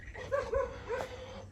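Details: A dog barks outside, perhaps because another dog or a jackal has come near. Three quick, fairly soft yelping barks sound over a low background rumble.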